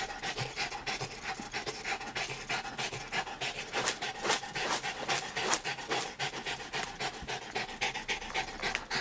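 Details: Dog working at her art in a home studio in Brooklyn, New York, March 9, 2012, with her son present; steady breathy panting in quick uneven bursts, with light rubbing and scraping against paper throughout.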